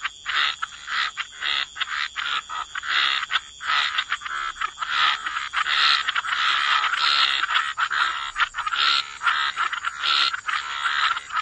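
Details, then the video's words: Frogs croaking in a dense chorus by the waterside, overlapping bursts packed closely with little pause, a steady high insect-like hum running underneath throughout. "Relax to the Sound of Croaking Frogs"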